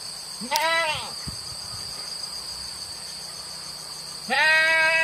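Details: Village goats grazing on wild grass in open fields; two short, wavering bleats at the start and end, with a click and faint background hum between them.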